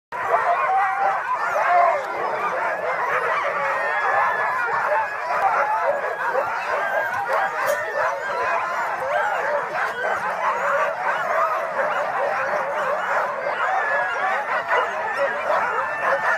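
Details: Huskies pulling a sledge at Tromsø Villmarkssenter, Norway, at night under aurora borealis: a dense, continuous chorus of many dogs yelping and barking together, steady and loud throughout with no pauses.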